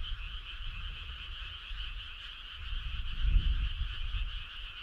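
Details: Many frogs on a summer night: a steady buzzing, pulsing chorus holding two pitch layers without pause, over low rumbling that swells briefly near the end.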